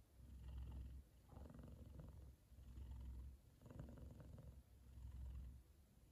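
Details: Contented F2 Savannah cat, male, purring so loudly while both he and his brother sleep, his brother lying across his head; deep rhythmic rumbling pulses in waves roughly every second, each burst fading into a softer breath.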